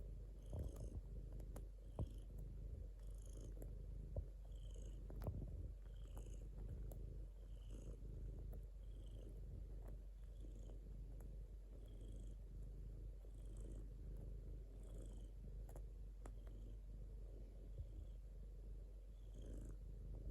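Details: Domestic cat purring steadily, a low continuous rumble with a soft pulsing rhythm, rising and falling roughly every second with each breath; faint soft clicks and rustles over the top.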